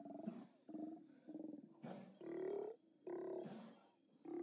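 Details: Steller sea lions at their haulout, 29 October 2017, via live cam: a dense chorus of overlapping guttural roars and grunts, pulsing bursts followed by longer drawn-out bellows, animals calling almost without pause.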